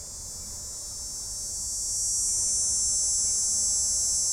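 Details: Dog-day cicada song replayed on a nature program in muggy July weather, a whiny high steady buzz without audible vibrato from rapidly vibrating timbals, swelling louder over the first two seconds, then holding level.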